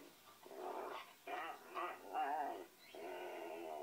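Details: Ole, a Pinscher, listening intently and giving a series of drawn-out, tonal whines and whimpers, rising and wavering in separate bursts, ending in one long, steady whine, with quiet indoor background.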